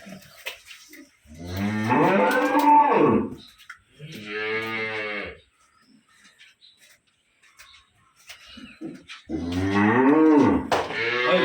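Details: Cattle at a dairy farm in Khulna, where two cows and a heifer calf are kept: long, deep, harmonic moos, one of about two seconds rising then falling, a shorter moo, then after a quiet pause another loud drawn-out moo.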